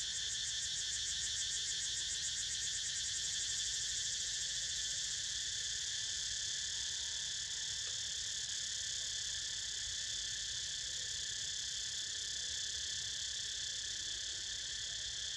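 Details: Cicadas calling while a pet snoozes nearby: a loud, steady, unbroken drone of several high buzzing tones layered together, holding the same level throughout with no pauses.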